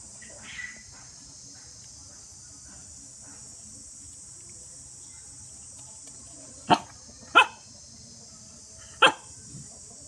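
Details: Two dogs playing together, heard as three short sharp barks late in the stretch, two close together then one more, over a steady high hiss and a quiet background.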